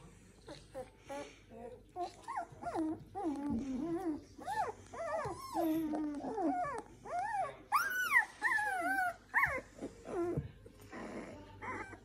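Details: Newborn Samoyed puppies, seven in a litter born to the dog Joy, inside a house; overlapping high squeaky whimpers and yips rising and falling in pitch, many short cries in quick irregular succession.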